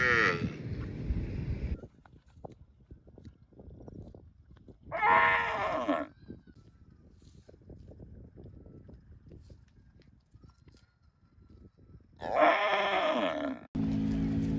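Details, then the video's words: Cattle calling: three loud moos spaced several seconds apart, each about a second long with rich harmonics, separated by quieter stretches of rustling and handling noise. "COWS MOOING - Funny Cow Sounds"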